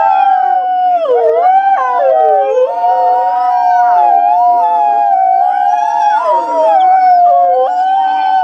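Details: Several wolves howl together to communicate and bond with the pack: long, smooth, mid-pitched tones overlap, bending up and down and sliding against each other in a steady, unbroken chorus.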